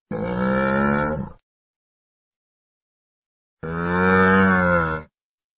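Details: Two drawn-out, moaning bellows of a camel, low and strongly harmonic like a hoarse moo, the second rising slightly in loudness, with a two-second silent gap.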